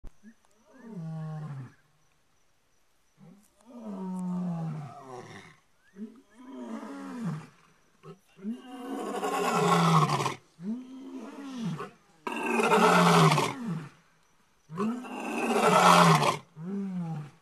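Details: Two lions calling out at night, giving a rising series of deep, throaty moans that build into full, booming roars, roars other lions can hear up to 10 miles away.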